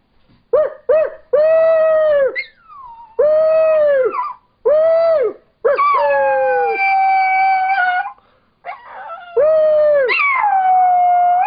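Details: A seven-pound female Chihuahua-Dachshund mix "sings," howling in a series of drawn-out, wavering notes with short yips between them.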